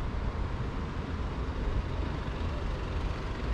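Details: Steady low rumble of passing vehicles fills the recording, with faint traces of speech and no animal voice.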